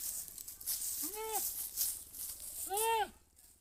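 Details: Two nasal, arching goat bleats about one and a half seconds apart over a steady hiss and rustle of outdoor background noise.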